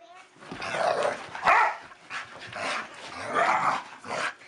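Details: Two pet dogs, a Staffordshire Bull Terrier and a Collie cross, playing rough together; harsh snarling growls come in bursts about once a second, loud and broad, with scuffling between them.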